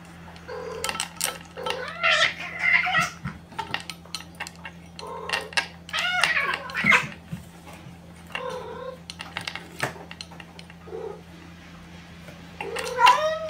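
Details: Brown Maine Coon kitten, 53 days old, at a cattery breeder in Tokyo, giving a series of short high meows with rising and falling harmonics, some louder and drawn out, amid a steady low hum and light clatter.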